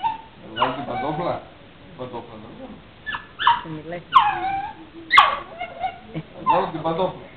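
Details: Female puppy 'talking' to her owner with throaty, harmonic whine-grumbles and brief yelping notes in uneven bursts, overlapped by a man speaking Greek.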